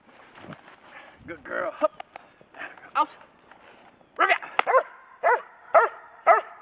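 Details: A pregnant German Shepherd Dog named Kodiak in Schutzhund bark and hold training, January 15, 2010, litter of 10 due February 5: a handler's voice and scattered sounds at first, then a run of five loud, evenly spaced barks.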